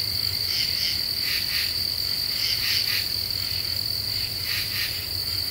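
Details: Common true katydid in Eastern U.S. deciduous forest at night, Ozarks, July 2013: scratchy two-part chirps at uneven intervals, layered over an unbroken shrill insect trill.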